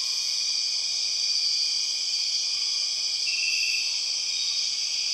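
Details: Steady high-pitched whine of empress cicadas in the Borneo rainforest, an unbroken piercing drone in stacked bands, one band briefly brightening partway through.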